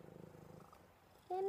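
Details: Cuddly pet cat Buddy gives a soft, low rumbling purr of quick regular pulses that fades after about a second, followed by a loud affectionate spoken phrase.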